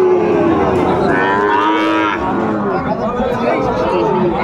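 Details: Sahiwal bull at Ambari market, Netrokona, Bangladesh, on 8 November 2024. A short, rising, arched moo lasts under a second near the middle, surrounded by dense market crowd noise and talking.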